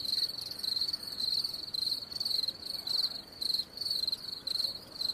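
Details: Shrill, high cricket chirps in longer pulsed bursts, some nearly run together into short trills, with brief gaps between groups; only soft background hiss beneath.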